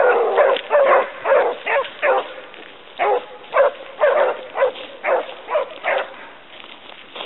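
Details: Basset Hound pack of the Côtes de la Saunade running a hare, giving steady, ringing bays that overlap in quick succession, roughly two per second, loud and sustained over the whole stretch.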